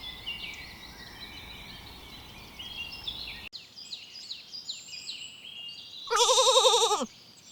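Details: Young lambs grazing in a green forest; high chirping birdsong fills the first six seconds before one loud, trembling bleat lasting about a second, followed by soft bird twitters.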